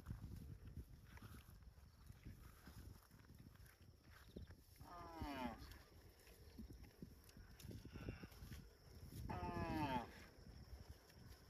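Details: A shepherd's cows walking from the field toward the farm pen; two drawn-out, harmonic moos sound about four seconds apart over steady trampling and rustling from the moving herd.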